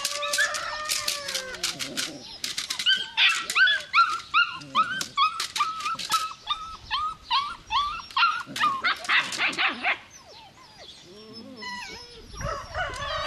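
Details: Belgian Malinois puppy yelping in rapid, fairly even series of short high cries, mixed with longer whines, easing into quieter whimpers toward the end.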